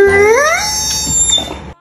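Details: Bernese Mountain Dog giving a scream yawn: a loud, drawn-out, rising whine that climbs steadily in pitch over about half a second, then trails off into a breathy fade.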